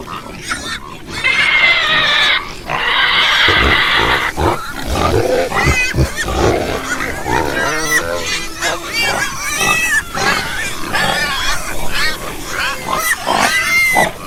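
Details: Long, strained pig squeals open the recording, followed by a busy run of short grunts and chattering squeaks from several animals, with brief high whines near the end.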